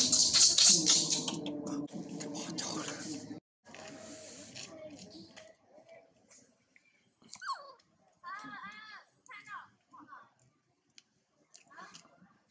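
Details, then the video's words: Baby monkey Mora screaming and crying after her mother Mola was bitten by a female monkey; a loud harsh burst opens, then short arched squealing cries come in broken series with brief pauses between them. "Heart pity baby MORA screaming cries when a women monkey was b ite her mom MOLA"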